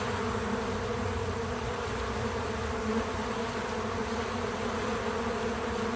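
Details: Continuous droning buzz from bees at a feeder, a dense even hum with layered harmonics and no pauses, natural sound without music or voices.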